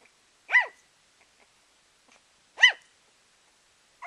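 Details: Puppy making adorable noises: two clear, high-pitched arched yelps about two seconds apart, each rising then falling quickly, with a third beginning as the recording ends; otherwise quiet.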